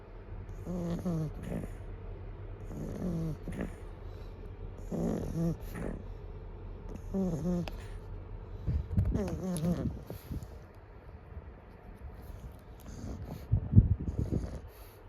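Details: Pug (Canis familiaris), snore.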